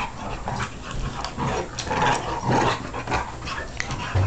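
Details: Dogs wrestling together in play, giving a dense run of rough growls, snarls and short yips that come thick and fast without pause, with scuffling noise mixed in.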